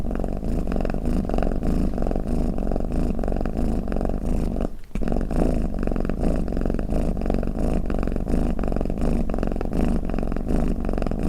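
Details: Cat snoring or purring, a low pulsing rumble that breaks off briefly near the middle, as if between breaths, then resumes steadily to the end.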